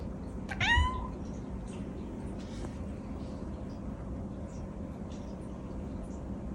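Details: Cute domestic cat giving a single short meow, a bright harmonic cry that rises and then levels off, lasting under a second, over a steady low indoor hum and then quiet.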